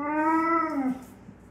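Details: Pet pit bull begging indoors near a fridge for treats and carrots; a loud drawn-out whining vocalization, steady and slightly rising, then dropping into a lower groan at the end, with the owner talking around it.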